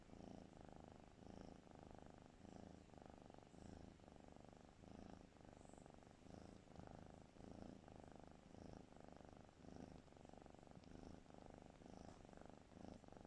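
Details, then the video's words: Snoring from a cat fast asleep: soft grating rumbles pulsing in a regular rhythm about two per second throughout, steady in loudness, with a quiet background. "Snoring kitty"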